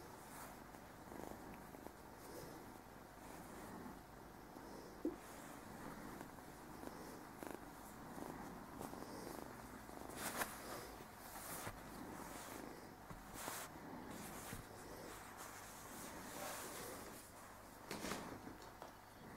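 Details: A male Burmese kitten named Speedy, around 9-10 weeks old and new to his home, keeps up a low, even purr, broken by occasional short rustling bursts from handling.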